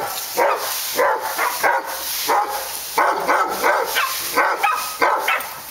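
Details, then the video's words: Park Drive dogs giving loud, evenly spaced rough barks, about one or two each second, with a faint steady hiss in the background. "Park Drive Barking Dogs"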